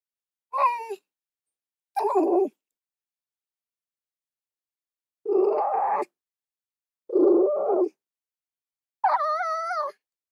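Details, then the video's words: Fox voicing a mix of calls roughly every one and a half seconds: clear whining cries alternating with harsh, hoarse screaming barks, the last one a strong wavering tonal wail. "Mesmerizing 15-Minute Fox Soundscapes"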